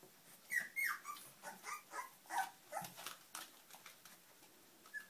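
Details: Puppies whining in a quick series of short, high, bending squeals, about two a second and fading toward the end, over light background rustle.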